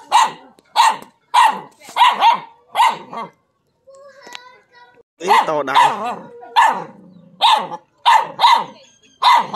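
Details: Dog barking after spotting a non-venomous snake, locally called a frog snake: sharp, loud barks in quick bursts of two or three, a brief pause with a wavering whine-like sound, then further rapid barks.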